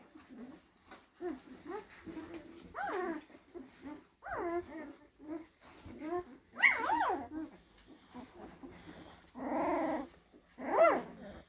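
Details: Young blue Great Danes from the Hradecká hvězda kennel, from litters born in April 2023. They give high, rising and falling whimpers and yelping squeals in uneven bursts, with a few louder drawn-out whines and short quiet pauses.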